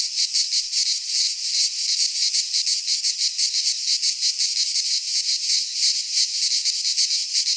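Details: Greek cicadas in a pine forest at midsummer, their shrill, grating drone sustained without pause and pulsing rapidly, nearly three surges each second, the only sound present.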